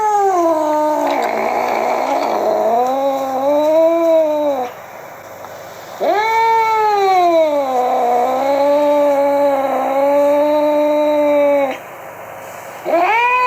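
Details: Furious domestic cat yowling in three long, moaning, tonal wails, each bending up and down in pitch and lasting several seconds, separated by short quiet gaps.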